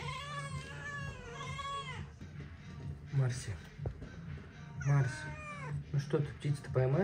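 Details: Oriental cat talking with its owner, who asks whether it will catch a bird; two drawn-out rising-then-falling meows open, followed by a woman's speech, soft music and further short mews near the end.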